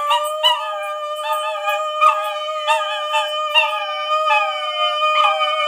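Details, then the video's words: Puppies howl in response to singing. Wavering, whining howls rise and fall over about six seconds in short overlapping bursts, each sliding downward, above a steady held tone that runs throughout. "Dogs reaction to markiplier singing with puppies"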